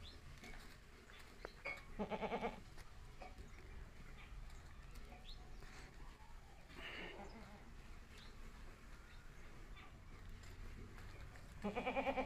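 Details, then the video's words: Young Himachali goats give two short, nasal bleats, one near the start and one at the end, separated by a long stretch of steady hiss and low rumble. "हिमाचली बकरी के बच्चे"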